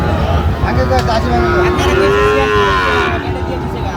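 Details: Sahiwal bull calves at Raniganj cattle market, Gazipur area, 7 August 2025: one drawn-out, mid-pitched moo rises slightly and falls, about two seconds long, over dense crowd chatter and market noise.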